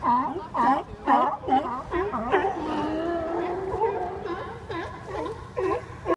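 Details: At the Westport, Washington docks, a resting group of sea lions: a clear bark repeated roughly every half second, then a long wavering moan, with other barks overlapping before the rhythmic barking resumes.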